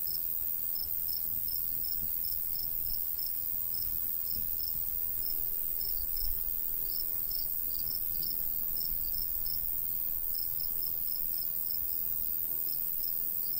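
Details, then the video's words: Countryside crickets in summertime by a golden wheat field, with light breeze; a long run of rapid high chirps with brief gaps, set against strong low wind rumble. "Countryside/cricket sounds"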